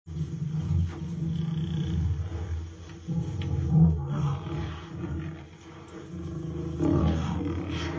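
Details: Lion teasing a buffalo: deep, rumbling low roars and growls in drawn-out bursts lasting a second or more, with a steady low drone underneath and loudness rising and falling through the recording.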